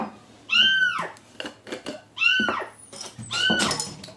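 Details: A loud, shrill kitten cry, rising then falling, repeats about every two seconds from the young male Mugi, found crying in the morning inside the wall of an empty house set for demolition. Scraping and handling noises come between cries.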